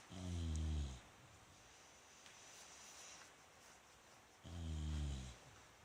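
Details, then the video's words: Bulldog Rikyu sleeping, 29 November 2016. Two deep, buzzing snores roughly four seconds apart, low and resonant, with only soft background hiss between them. "ブルドッグ 福丸&利休。本日のいびき"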